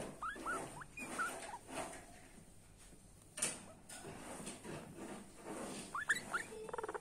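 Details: Small guinea pig giving brief, high, rising whistles scattered through the recording, with a short rapid pulsed burst at the end over a steady low background hum.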